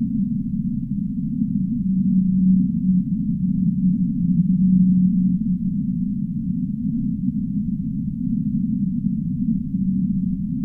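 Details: Humpback whale song, with deep sustained moans that swell and fade, recurring several times over ten seconds against a constant low, muffled roar of water noise and nothing at higher pitch.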